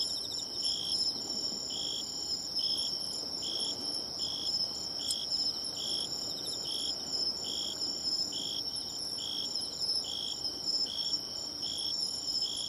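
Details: Seaside bell cricket song tracked down by ear, with bright, bell-like notes pulsing roughly every half second against a constant high insect drone and a faint background hiss.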